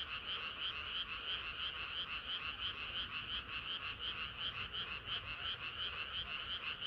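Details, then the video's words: A chorus of frogs on a hot summer night: rapid, rhythmic, pulsing croaks at nearly three per second, clear and high-pitched, steady throughout over a faint low hum. "개구리들의 합창은 끝이 없어라"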